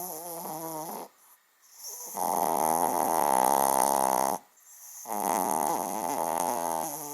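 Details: Loud, prolonged snoring from a small dog that sounds like a big one, indoors: long rattling, buzzy stretches lasting two seconds or more, broken by brief quiet gaps.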